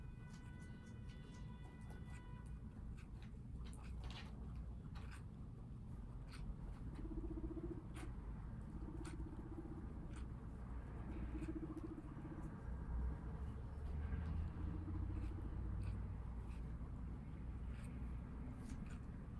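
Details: Pet guinea pigs in New York City eating watermelon, a treat given in small doses. Crisp, irregular crunching clicks come several times per second throughout, with soft low music tones running underneath.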